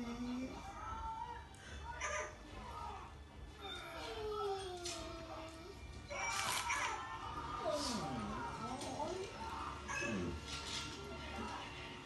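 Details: Bruno, a Rottweiler, howls and 'chats' with his owner's great niece: wavering, moaning howls that swoop down and back up, trading turns with a young child's talking voice indoors.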